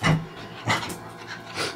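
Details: Excited, very happy pet dog performing trained tricks at home, panting audibly: breathy huffs about every half second, with a louder burst near the start and another mid-way, amid faint room noise.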